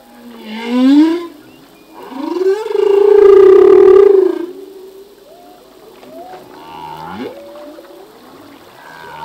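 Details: A male humpback whale sings in open water, a song that changes yearly as new phrases are learned: a rising wail, then a long, loud sustained groan, followed by softer upward-sliding notes.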